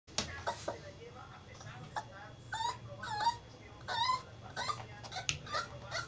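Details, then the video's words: Pit Bull puppy whimpering in short, high whines that rise and fall, repeated several times among sharp yips, with people talking nearby. "Bebé pitbull indomable"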